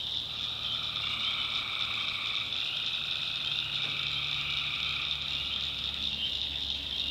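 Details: Many tree frogs calling together after dark in a North Carolina swamp, making a continuous piercing wall of trills. A weaker lower-pitched layer of calls pulses in and out, over faint low background hum.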